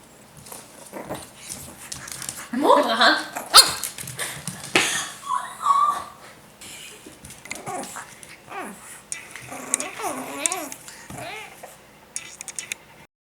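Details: A pug puppy named Thor, a pet indoors, makes a run of playful noises: growls, a sharp bark-like burst, then rising and falling whiny squeals, with a person talking in Swedish alongside.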